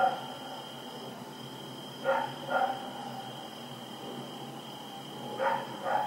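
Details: Rex the dog runs around at night on 7 October 2018, giving two pairs of sharp barks, each pair closely spaced, separated by a long pause, over a steady electrical hum.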